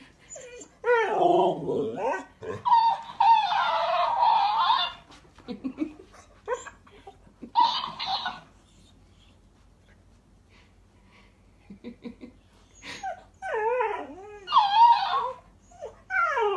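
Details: A female Alaskan Malamute gives wavering, yodel-like howls that rise and fall in bursts, "arguing" with a talking toy hamster that answers with squeaky chatter.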